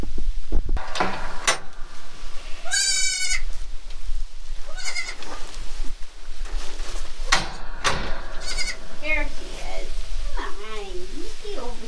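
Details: Newborn goat kid just born on a small farm, giving a few short, high, wavering bleats among long stretches of a woman speaking softly to the animals, with background music.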